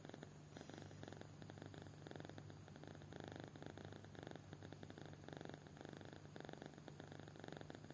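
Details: Sleeping kitten snoring deeply, giving a gentle, regular throbbing sound over a constant low drone, with a brief faint hiss at the very start.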